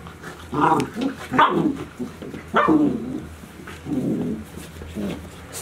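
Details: Golden Retriever puppies from Chiro's litter, 72 days old, filmed 6 July 2018 at Ain Village: a run of five short, rough barks and yelps, about one per second, in a small indoor space with a low steady hum.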